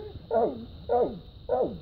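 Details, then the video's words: Dogs barking at a raccoon they have chased up a tree after fighting it: three loud, hoarse, ringing barks, evenly spaced about every 0.6 seconds, over low outdoor background rumble. "Dogs fight coon and tree him"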